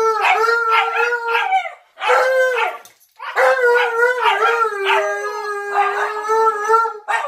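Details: A Siberian Husky puppy gives long, wavering howls while a deeper-voiced Malamute howls along; they howl together every day.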